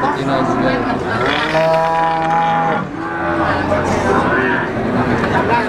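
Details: Brahman cattle at the Sumber Lawang cattle market: one long, steady, deep moo of about a second and a half stands out, with other cattle calling faintly amid market bustle and engine noise.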